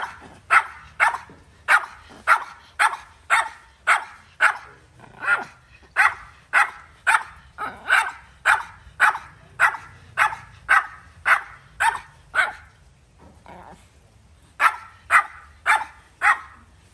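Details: Dog barking in a long, steady run of sharp, loud barks, roughly two per second, with a brief pause near the end before a final burst of barks; little else audible.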